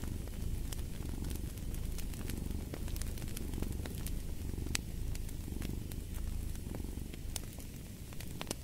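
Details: Domestic cat purring beside a fireplace: a deep, steady rumble that swells and eases roughly every second with each breath, while sharp crackles and pops of burning wood sound over it throughout.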